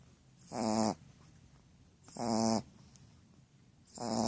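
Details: Snoring female Shar Pei called Pucca, giving rough, buzzing, rattly inhalations about every one and a half seconds, each with a hissing edge, separated by quiet pauses.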